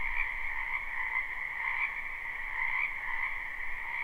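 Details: Many frogs croaking together in a backyard wetland in spring, recorded live: an unbroken, gently throbbing two-toned chorus with slight swells in loudness and a soft low-frequency hum beneath.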